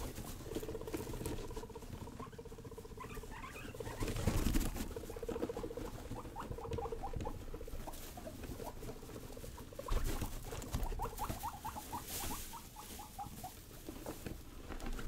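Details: Young pet guinea pigs Rosie and Buddy being wild and playful: a low pulsed chutting hum comes and goes under runs of short, rising squeaky notes repeated in quick bursts, with rustling and pattering of small feet throughout.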